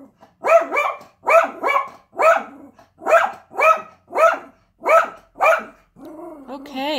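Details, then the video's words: Yorkshire Terrier barking at a UPS delivery, a regular event: sharp double barks in rapid bursts, roughly one pair per half second, ending as a person begins speaking soothingly to the dog. "Yorkie hates UPS"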